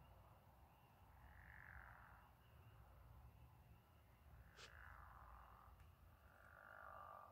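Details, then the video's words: Frogs or toads calling at night under a moonlit sky, drawn-out buzzy trills swelling and fading at intervals over a steady low hum, with a brief sharp click midway. "Frog/toad symphony"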